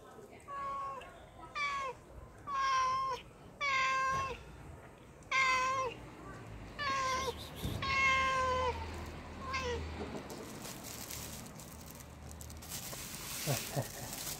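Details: Pregnant cat begging for fish, giving a run of repeated harmonic meows, each about half a second to a second long with a rising then falling contour, roughly every second for ten seconds, followed by noisy handling sounds.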